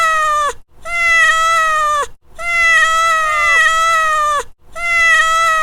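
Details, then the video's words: Domestic cat giving sustained, nasal meows of uneven length, one stretching close to two seconds, each level in pitch before a short falling tail, separated by brief pauses. "Cat Meow"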